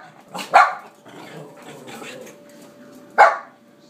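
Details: Pet dog barking with jealousy over late-night treats: two sharp barks, one near the start and one about three seconds later, with soft rustling between.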